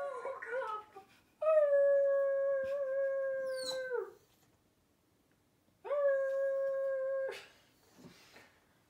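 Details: Indoors, a dog howls along with recorded howling dogs: two long, flat, steady mid-pitched howls, the first about two and a half seconds and the second shorter, each ending abruptly, with quieter sounds between.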